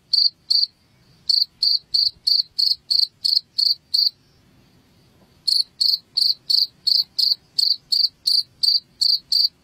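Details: Cricket chirps played to drive rats out of a house: short bright pulsed chirps repeated about three times a second, with a pause of a little over a second midway before the steady series resumes.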